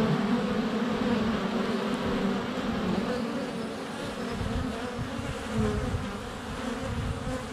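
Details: Dense honey bee buzzing at the hive entrance on a sunny day in February, recorded inches away with a GoPro Hero 7 Black as bees fly past and land on it: a constant droning hum with overlapping wingbeat tones.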